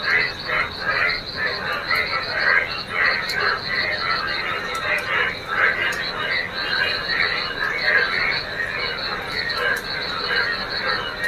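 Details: Many frogs calling in rainwater pooled on a village field during rainy weather, a thick overlapping chorus of rasping croaks and a continuous high trill, with sharp clicks and a person's voice now and then.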